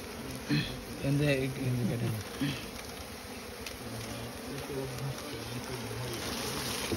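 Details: Asian honey bees (Apis cerana), small honey bees nesting inside straw, humming steadily in a low drone while people talk loudly in Bengali nearby as they prepare to smoke the nest.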